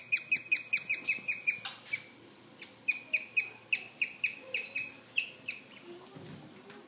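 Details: A young male guinea pig hiding under a stool chirps in quick, high, bird-like pulses in steady runs; recently paired with an older boar, the owner suspects he wants to be boss. He stopped once noticed.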